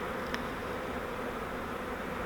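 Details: Captured honeybee swarm during transfer from a fiber swarm trap to a Langstroth hive, a steady unbroken drone of many bees with one brief click.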